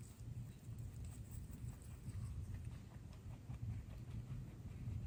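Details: Two pet bunnies chewing healthy veggies, grasses and flowers; soft, rapid crunching clicks repeating unevenly over a low constant hum.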